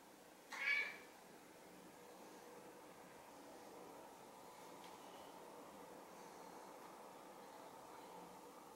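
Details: Silver tabby house cat looking into the camera and talking with a cute voice: one short, high meow near the start, then only a quiet steady indoor hum for the remaining seconds.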